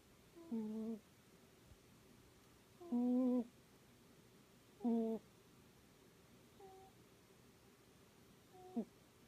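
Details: Miss Sophie, a sleeping Scottish Fold cat, snoring indoors: five short, squeaky, tonal wheezes, each with a steady harmonic buzz, spaced roughly two seconds apart in a quiet small room.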